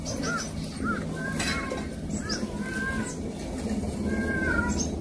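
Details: Kittens being visited by older cats, described as their older siblings; short, high, arching mews come in scattered bursts over a steady low rumble of room noise.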